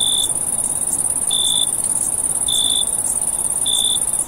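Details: Summer crickets at night: an unbroken high-pitched shrilling with four slightly longer, lower chirps spaced roughly a second apart, over a quiet hiss.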